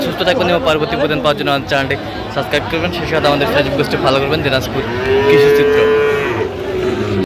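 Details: Sahiwal breed bull calf at a cattle market, Bangladesh, 17 October 2025: after a stretch of busy voices, one sustained, steady moo lasts well over a second before fading, with market chatter continuing underneath.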